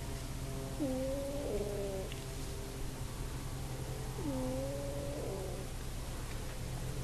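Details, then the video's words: Female house cat asleep on a bed, recorded on an iPod, snoring with two drawn-out, tonal, slightly wavering breaths, each about a second long, over a steady low hum. "Fart Snoring Cat"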